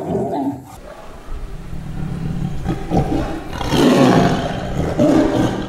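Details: Zoo animal with a rough, low roar that swells and grows louder toward the end, with a deep rumbling base and noisy breath across the whole call, then fades slightly.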